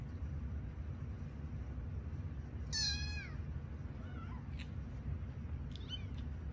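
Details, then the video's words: Kittens at bedtime, five found in an office building, sleepy and stretching; one strong high arched mew near three seconds, followed by softer, fainter mews, with a steady low room hum throughout. "Sleepy Kitten Stretches, Meows, and Yawns"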